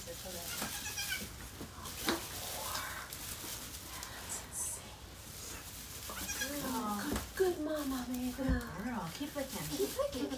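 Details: Around the birth of Mama Maybel's four kids at Goats of Anarchy, a rescued goat bleats in wavering, uneven cries in the second half, after a stretch of quieter rustling and low human voices.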